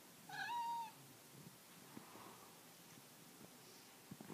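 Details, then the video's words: Two cats on the prowl as an unwanted visitor arrives; a single clear meow under a second long, bright and slightly falling, then quiet room with faint rustling. "WHEN CATS ATTACK!"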